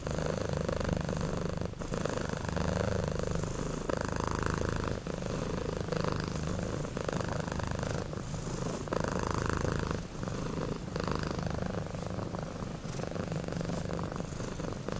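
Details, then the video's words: Snoring from two sleeping kittens, Sapi and Kebo: continuous low rumbling broken into breath cycles of roughly two to four seconds, each with a rough, raspy upper layer. "2 Kitten Tidur Ngorok"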